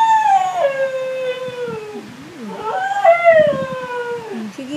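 A Siberian Husky howls in long, wavering, falling tones, with people talking in the background.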